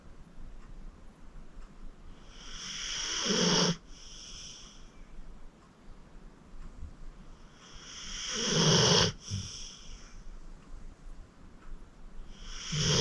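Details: Acorn, a sleeping 14-year-old rescue pit bull from the Cuyahoga County Animal Shelter; harsh rattling snores swell and cut off sharply, roughly every five seconds, separated by quiet breathing in a still room.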